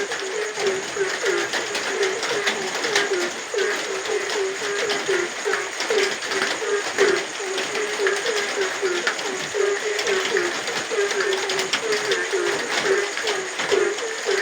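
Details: Frog heard at night amid rain, delivering a long run of quick, low, knocking croaks, sometimes doubled or overlapping, steady for the whole stretch, under a bright wash of rain and drips.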